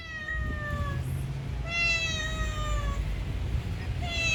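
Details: Neighbourhood stray cat recorded in 2019 with a Samsung Galaxy S9+: three long, drawn-out meows, each sliding gently downward in pitch, the last cut short, over steady low outdoor rumble.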